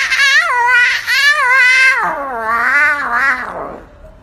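A lion cub's attempted roar: a squeaky, wavering cry that slides down in pitch over about four seconds.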